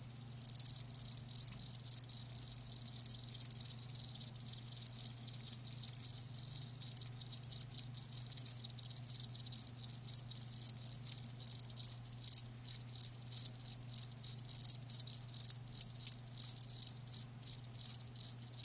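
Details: Live crickets in a continuous chorus of high, dense chirps, short pulses overlapping rapidly throughout with a faint low hum beneath.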